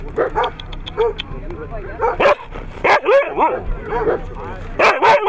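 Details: Siberian Husky at competitions held in Nizhny Novgorod, 3 February 2017: short, sharp, bouncing yips and barks repeated roughly every half second, some with arched rising-falling pitch, over steady background chatter and a low hum.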